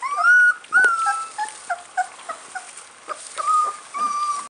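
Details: American bulldog puppies whimper with high, wavering whines and soft, lower squeaks in a rapid, uneven series, then drawn-out whines close the sequence.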